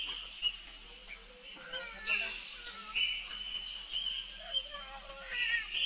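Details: A young monkey calls for help while its sister runs off very fast: high, thin squealing cries, some rising and some wavering, repeated in bursts with short pauses between them.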